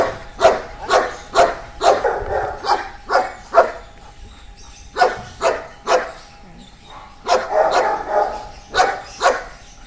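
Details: Barking from Amos, an eight-year-old Belgian Malinois agility and K9 dog in training at a boarding school: clipped, punchy barks in quick bursts, a brief lull near the middle, then another rapid flurry.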